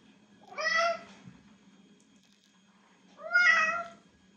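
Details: Domestic cat meowing loudly indoors, two separate drawn-out meows with a bright, harmonic tone, about two and a half seconds apart, over a faint low steady hum.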